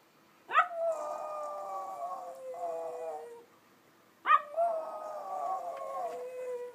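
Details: Howling dog calling to other dogs rather than barking: two long howls, each starting with a sharp rising yelp, then holding a steady tone for about three seconds and sliding down at the end.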